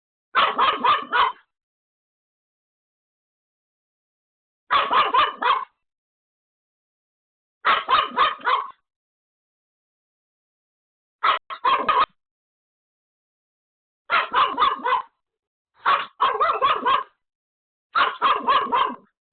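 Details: Home-alone Pomeranian Pomeko yapping hard at a sudden caller: seven quick bursts of rapid barks, each under a second, repeated every two to three seconds with silent gaps.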